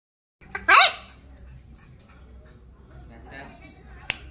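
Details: Labrador puppy giving one short, high yelp or bark with a rising-falling tone near the start, then quiet room sounds, a faint softer squeal later and a sharp click at the end.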